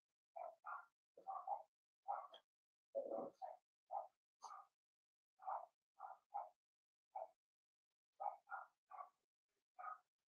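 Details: Blenheim Cavalier King Charles Spaniel puppies from a litter of six in an indoor puppy pen, giving short high yappy barks in quick irregular bursts, about twenty over ten seconds, some doubled, with no other sounds.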